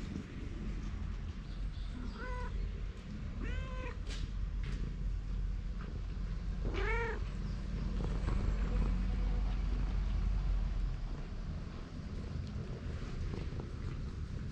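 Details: Stray cat outdoors, filmed on a GoPro while being followed, giving three separate arched meows, each rising then falling, spread over several seconds, above a steady low rumble of outdoor background noise.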